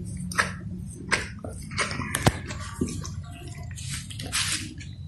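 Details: Golden Retriever grooming a chicken by licking it: wet, smacking licks and squishy slurps come in irregular bursts, with soft dripping, sloshing noises and a low hum underneath.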